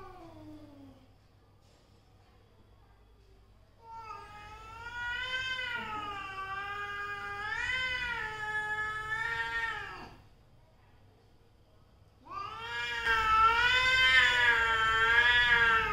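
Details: A falling tail of one cry opens, then mother and daughter cats trade a six-second undulating yowl and, after a pause, a louder, harsher one that keeps climbing and wavering.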